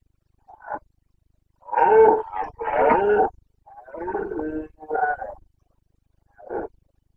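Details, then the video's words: Boncănit of a Carpathian red deer stag, Bucovina mountains, breeding season, 29.09.2022: two long, hoarse roars back to back, then a lower, growling bellow and short grunts, with a faint grunt at each end. "Boncănit / Carpathian stag Breeding season"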